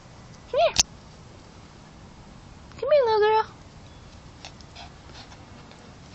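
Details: Emma, a female Rat Terrier, plays keep away after her owner leaves. She gives a short high whine, then a longer, wavering whining yelp. A person keeps coaxing her softly between the calls.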